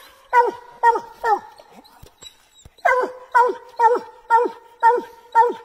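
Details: Bluetick Coonhounds barking treed: quick chop barks about two per second, a short pause, then the rhythmic barking resumes, over a low steady hum.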